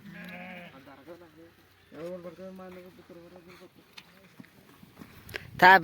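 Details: Sheep at milking time, a wavering bleat at the start followed by people speaking and a sharp clatter at the end.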